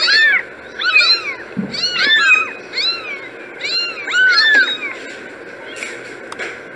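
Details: Several kittens meowing together in quick, overlapping bursts, with high, arching meows repeated almost every half second against steady background noise.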